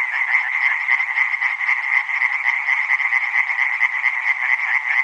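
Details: Tree frogs calling together as a dense chorus, rapid overlapping rasping pulses forming a continuous, steady band of sound, with many callers at once and no other sounds.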